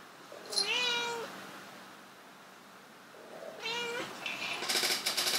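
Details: Domestic cats Bluey and Kage trying to mate: two drawn-out harmonic meows, each rising then bending down, about three seconds apart, with a clattering rustle at the end.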